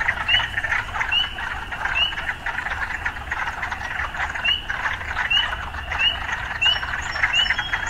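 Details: Urban frogs calling: a steady pulsing chorus punctuated by repeated short rising chirps at fairly regular intervals, and thin high tones appearing near the end, with muted low city background.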